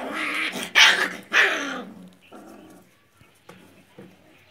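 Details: Heavy-boned Rottweiler puppies in Mumbai give a few loud, harsh yelps and growly barks, then quieter scattered sounds.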